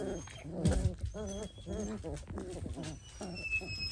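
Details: Dalmatian puppies at four weeks old make a rapid run of tonal, nasal whining calls, each short and harmonic-rich, repeated about every half second against low indoor background noise.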